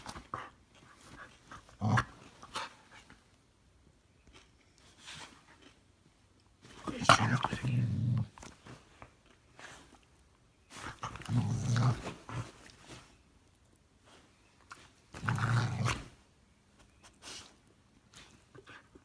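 A Norwegian Elkhound makes low, rumbling grumble-growls in long bursts a few seconds apart, a playful protest at bedtime. A person speaks softly between the outbursts.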